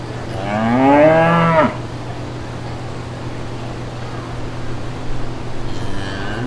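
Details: Brown cows with their calves walking through green fields; one strong, rising-then-falling moo early on, then quiet with a low steady hum and a faint moo starting near the end.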